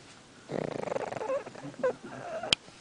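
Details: Sleeping pug twitching as it snores, giving a fast, rattling, pulsed snore that lasts about a second, then a few softer snuffles and a sharp click at the end.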